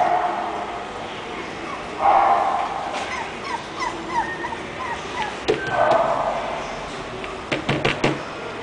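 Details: English Bulldog named Clay, a breeder's puppy, giving a run of short high whimpering yips, several falling squeaks in quick succession between louder whining bursts, with faint rustling and clicks.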